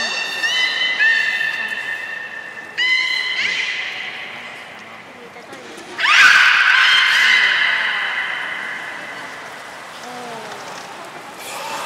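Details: Beluga whale, Port of Nagoya Public Aquarium, 3 February 2019, feeding and play time: harmonic whistles, then a loud burst of dense upswept calls that fades slowly, with soft background chatter in a large hall.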